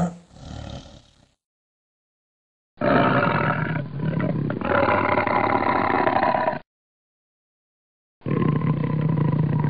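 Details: Tiger with cubs: a short low growl, then a long, loud, rumbling roar lasting nearly four seconds. Another deep, steady growl follows a pause.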